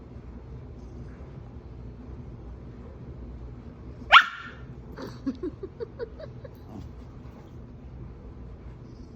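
A Bichon Frise gives one sharp yelp followed by a quick run of short, high, squeaky whines.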